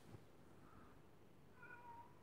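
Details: A disobedient house cat gives one short, faint meow late in the moment, a steady tone dipping slightly at its end, over a low, dull room hum.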